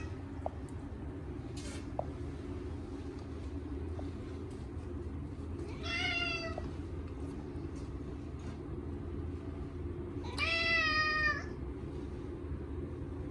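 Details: Chacha, a short-legged male Munchkin cat, screams during his first bath in a year on a hot day. Two drawn-out, harmonic meows ring out several seconds apart over a steady low rumble and a few small clicks.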